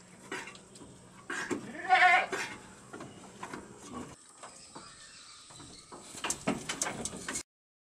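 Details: A single loud wavering bleat from one-month-old goat kids learning to eat corn offal, followed by quieter stretches and clattering, scraping noises toward the end.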